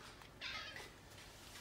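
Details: Choco, a hungry orange-and-white pet cat (male), pressing for food at mealtime and nuzzling against feet; one short meow lasting about half a second, then a quiet indoor background.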